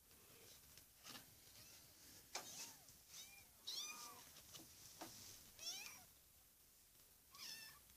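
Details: Four-week-old kittens indoors giving soft, high, thin mews, short arched calls scattered every second or so among quiet rustling and handling noise.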